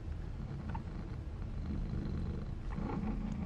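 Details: Mother Maine Coon cat at a breeder in Tokyo, purring: a steady low rumbling throb that continues without a break.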